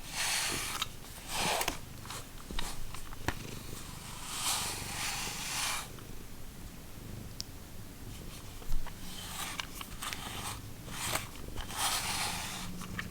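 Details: Domestic cat of the Lucky Ferals cat family purring in a low continuous rumble, with repeated loud bursts of hissing, rustling noise on top and a sharp click near the middle.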